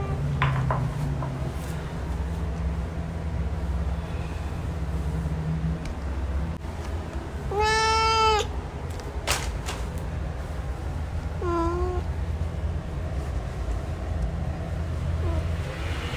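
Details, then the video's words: Male cat producing two separated meows, a loud harmonic one near eight seconds and a fainter, shorter one near eleven and a half, amid clicks, knocks and low background rumble. "MALE CAT SOUND"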